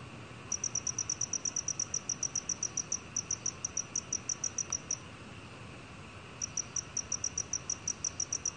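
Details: Black cricket, 2020 recording: a run of rapid, high-pitched chirps at about three per second, then a silent gap of over a second before the chirping resumes at the same pace, with faint background hiss.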